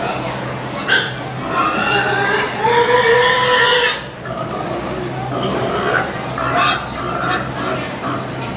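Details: Pigs crying at the Minnesota State Fair, 2017: one long, drawn-out whining squeal lasting about two seconds with a slight rise and fall, followed by shorter grunting cries amid a background of fairgoers' voices and hum.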